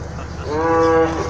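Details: Cattle at night at a crowded cattle market in Bangladesh during the Eid sacrifice season: a single steady, harmonic moo lasting about half a second, over a murmur of crowd noise.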